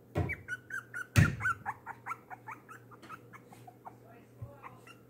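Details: Little Bean, a one-pound, three-week-old foster puppy, protests being put back in his pen after feeding. A loud thump comes first, then a run of short, high, wavering whines with a steady low hum beneath.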